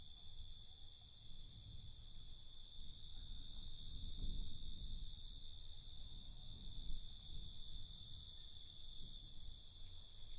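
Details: Crickets calling at night in a constant shrill buzz of stacked tones, a short extra pulsing trill rising above it near the middle, with soft low rumbling beneath.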